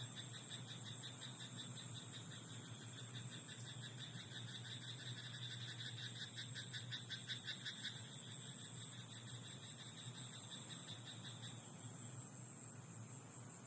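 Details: Rice-paddy frogs at night give fast, rattling pulsed croaks for roughly the first eight seconds before they fade out. A constant shrill, insect-like whine and a faint low drone fill the background.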